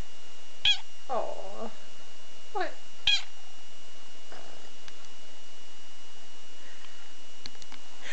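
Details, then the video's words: Pet cat stretching and yawning after waking, 18 December 2011, in a quiet room: several brief meows and a drawn-out yawning sound in the first few seconds, then faint clicks and near silence. "Waking Up, Yawning & Meowing"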